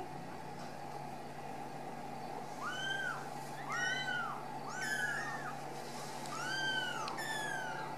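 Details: Ragdoll kittens raised cage-free in a Kansas home cattery mew repeatedly after leaving the nest: five arched, bright calls spaced about a second apart over a loud steady background hum.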